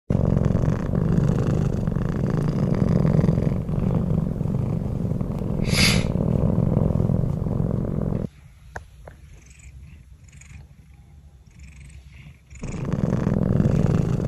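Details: Bengal cat purring while sleeping peacefully indoors, a low continuous rumbling purr with a brief pause mid-clip where only faint ticks and quiet room sounds remain, then the steady purr resumes.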